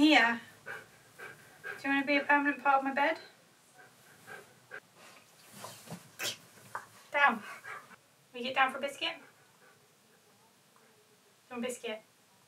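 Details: Siberian Husky indoors vocalising insistently because it wants to play: harmonic, wavering howl-like yowls in bursts, the longest near the start, with a person speaking in between and scuffling sounds.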